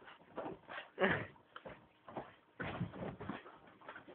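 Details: Akitas at play, giving rough, breathy growling grumbles in short bursts, with the loudest, harsher burst near the one-second mark and further low rumbling bursts later, with no other clear sounds.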